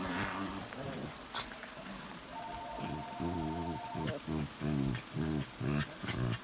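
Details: Two Shih Tzu mixes trade a chewy, Chewbacca-like back-and-forth: a run of short, throaty, harmonic grumbles and moans in quick bursts about every half second, with a steady faint tone in the background.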